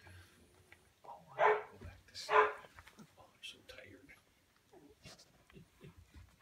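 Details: Samoyed puppies just over two weeks old, eyes and ears newly open, moving about a whelping box on Prince Edward Island, Canada, in February; two loud squealing yelps about a second apart, then soft whimpers and shuffling.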